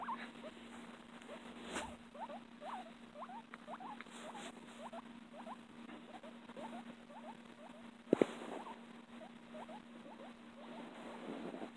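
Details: A pet guinea pig makes a steady run of short, soft, rising squeaks, several each second, over a constant low electrical hum with a few clicks.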